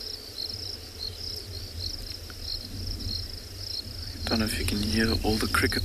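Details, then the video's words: After rain at sunset, crickets chorus in lush grass around a game-drive vehicle in the Kalahari, South Africa: continuous high-pitched pulsing trill, joined in the last seconds by a man's voice talking. "i don't know if you can hear all the crickets"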